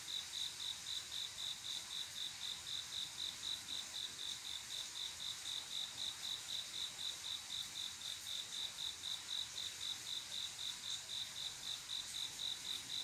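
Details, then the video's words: Cricket on a quiet summer night, a male calling a female to mate: short, high chirps pulsing steadily about four times a second over a constant hiss of other insects. "조용한여름밤 귀뚜라미소리"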